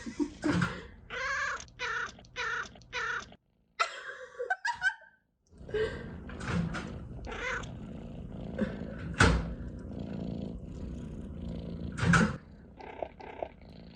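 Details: Pet cat chirping uncontrollably indoors, giving a run of short, stuttering harmonic chirps roughly every half second, then a pause followed by shuffling, handling noises and sharp clicks.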